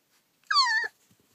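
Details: Collie puppy, about 30 days old, filmed 30 June 2013: one short, high, clear whine lasting about a third of a second that rises slightly and then falls, in quiet surroundings.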